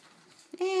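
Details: Four-week-old Cardigan Welsh Corgi puppies indoors; after quiet near-silence, a sudden steady, clear whine rises sharply and holds at one pitch until the end.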